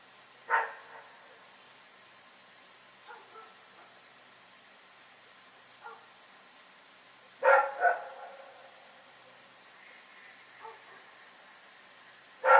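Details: Rex, a dog, barking at night: loud single barks near the start, a double bark at about seven and a half seconds and another at the end, with softer distant barks scattered between over quiet background.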